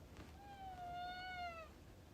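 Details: Pet cat named Alfie comes into a room indoors and joins a conversation, giving one long, clear, harmonic-rich meow lasting over a second, level then dipping at the end, with quiet room hum behind.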